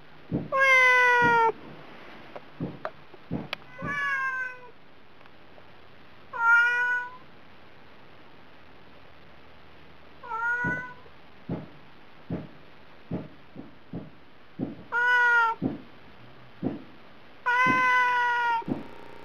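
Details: Domestic cat on a diet meowing persistently for food: about seven clear, bending meows, some short and some drawn out, mixed with many sharp knocks and taps in between.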